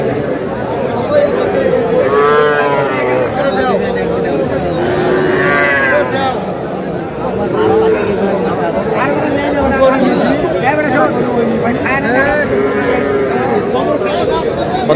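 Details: Small bull and heifer calves for sale at a cattle market in Madaripur, Bangladesh: overlapping calves' moos with rising and falling harmonic bands, several animals calling in turn amid constant crowd chatter and bargaining voices.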